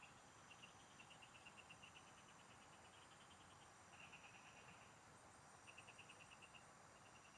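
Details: Field frogs calling in chorus, captured while fishing in the countryside: repeated rattling trains of fast pulses, several overlapping, follow one another closely, backed by a constant high-pitched insect drone.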